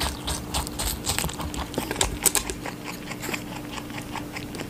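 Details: A rabbit chewing watermelon, dense crisp crunching and wet clicks in close succession, loudest bursts in the middle, with a low hum in the room.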